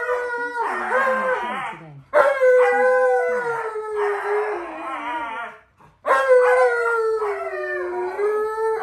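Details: Pet male Alaskan Malamute howls at an Alexa smart speaker as if demonstrating a wolf's howl: long steady tones that dip slightly, broken by warbling woo-woo passages, in three bursts separated by short pauses.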